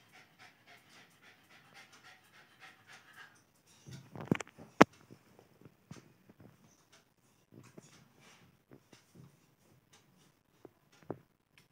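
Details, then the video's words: Playing Lhasa Apso puppy, Alice, panting in soft quick breaths about twice a second, interrupted by loud clattering thumps midway, then quieter scattered huffs. "Lhasa Apso puppy is playing"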